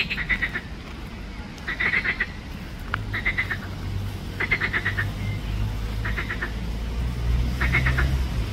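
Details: Pelophylax green frog calling at Ljubljana Botanical Garden on 31 May 2024: six short, pulsed rattling croaks at irregular intervals, with a low droning hum rising in the background from midway.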